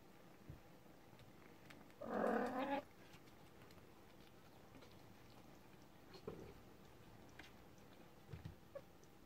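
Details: Thirty-day-old kitten indoors giving one loud, harmonic meow of under a second, followed by a few faint soft sounds in a quiet small room with steady low hum.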